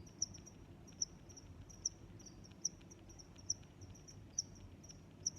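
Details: Crickets chirp in short, bright, high pulses spaced roughly once a second, with soft lower chirps between them and a faint low hum beneath.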